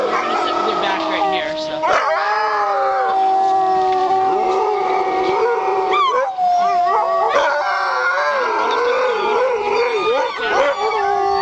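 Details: Several sled dogs howling together in a chorus of overlapping long wavering tones, some sliding up and down in pitch, sustained throughout with no pauses.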